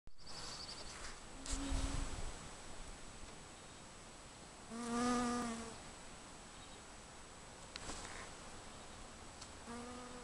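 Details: An Alaska bee gives a low, droning flight buzz as it works very large dandelions, swelling as it passes close, then fading and returning.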